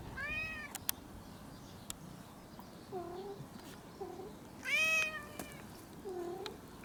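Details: Hungry domestic cat meowing for food; a clear meow at the start and a louder, longer one near five seconds, with short lower mews between and faint room noise.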